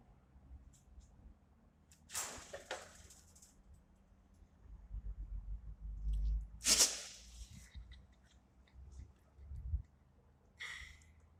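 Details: A Siberian Husky gives three sharp, breathy sneezes spaced a few seconds apart.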